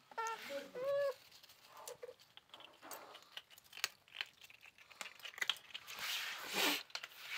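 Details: Hungry kittens give two short, high, clear mews in quick succession, then fall quiet as crinkling, tearing and crunching noises fill a small indoor room.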